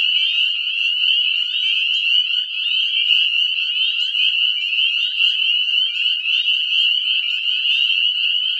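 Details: Northern Spring Peepers in a deafening spring breeding chorus at a regrowing woodland lot: countless high, piercing peeps overlap into an unbroken ringing wall of sound, slightly pulsing in texture throughout.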